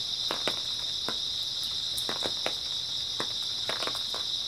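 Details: Grass insects chirp in a dense, even high drone through an early autumn night, while scattered snapping clicks punctuate the background every half second or so.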